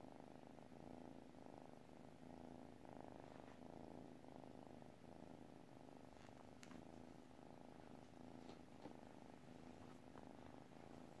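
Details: {'caption': 'Sleeping cat purring softly: a low, continuous rumbling purr pulsing steadily in and out with each breath, quiet and close, with a faint background hiss.'}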